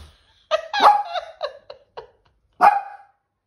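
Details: Dog barking at seagulls: a quick run of about five sharp, yelping barks that fade off, a brief pause, then one final loud bark.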